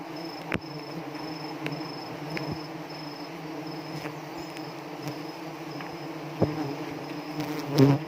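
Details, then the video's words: Constant deep hum of honey bees in South Aceh, Indonesia, disturbed while being installed at Pucok Krueng, where they sting. The droning is even and unbroken, with a few isolated knocks and a faint high steady tone. "di sengat tawon lebah madu aceh"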